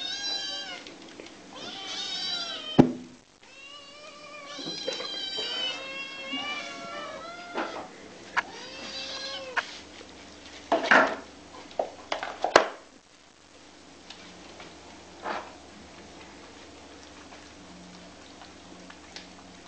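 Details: Hungry kitten demanding food with a cluster of high, curving meows in the first half, then quieter scattered mews among clicks, bumps and clattering household sounds.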